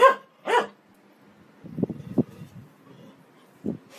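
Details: Dog giving two quick, loud barks half a second apart, then low, muffled rumbling and thumping sounds and one more short dull sound near the end.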